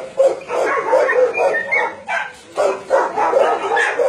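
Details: Dogs kept at a Nonsan, South Korea meat farm and puppy mill in January 2017, about 150 of breeds including Doberman, Shar Pei, Chow Chow and Golden Retriever; several animals bark and yip in bursts, with whimpering notes between.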